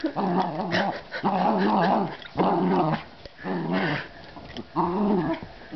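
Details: Breesy, a dog, growls through a tug-of-war game, giving five long, gravelly rumbling bursts with brief pauses between them and a few soft clicks.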